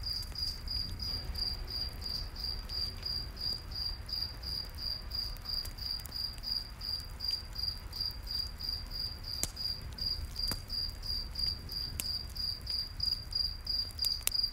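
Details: Crickets in a night forest beside a campfire: high, thin chirps repeated steadily about three times a second, with scattered sharp crackles and pops from the fire and a soft low rumble underneath.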